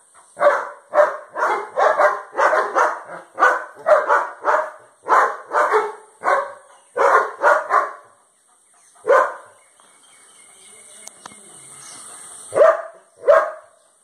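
A German Shepherd barks in a rapid, steady series of deep, loud woofs.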